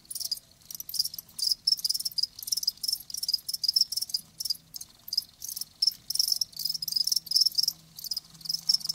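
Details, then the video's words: Live crickets chirping, a dense run of short, high, pulsed chirps in quick bursts, several overlapping callers giving a near-continuous shrill trill with brief gaps; faint low hum underneath. "Live Crickets 60min "Natural Sound""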